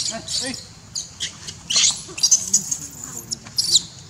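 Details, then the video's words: Baby monkey calling its mother to be given milk: bursts of thin, very high squeaks and chirps, clustered near the middle and again at the end, over a soft hiss of background noise. "Lovely baby monkey call mom to give him for milk"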